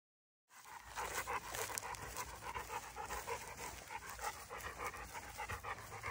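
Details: A large female Boerboel, a livestock and homestead protector, pants in steady rapid breathy puffs, about three per second, after a brief silent start.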